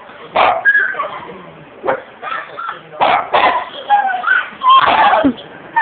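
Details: Tiny dog Coco barking at a frightened 15-year-old girl after being urged to attack; sharp, yappy barks come in irregular bursts, mixed with the girl's screams and voices talking over them.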